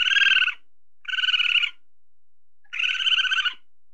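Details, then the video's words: Tame weasel searching for food, giving three harsh, buzzy, rapidly pulsed bursts, each about half a second to a second long, separated by short silences; no other sounds. "SUARA MUSANG SEDANG MENCARI MAKAN (WEASEL SOUND)"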